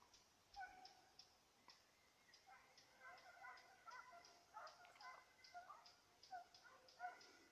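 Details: Baying of a Petit Basset Griffon Vendéen on the trail of a rabbit, 5 October 2014: a run of repeated, tonal, faraway bays clustered mid-clip, with constant high chirps and ticks from the surroundings.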